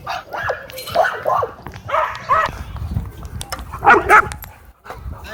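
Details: Dogs at a dog park, where a scared dog draws unwanted attention while others race and play. Several short, harmonic barks and yips come in uneven bursts, mixed with human voices and background park noise.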